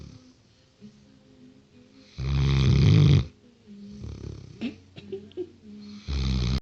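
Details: A 6-month-old Great Dane snores while sleeping, in deep, heavy rumbling bursts with quieter snuffling breaths between, low and gravelly, swelling loud on each inhale.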